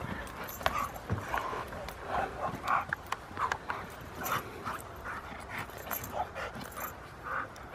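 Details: Thirteen-month-old female Rottweiler at her second protection training session at a Rottweiler club in Victoria; short excited barks and whiny yelps repeated every half second or so, mixed with people talking.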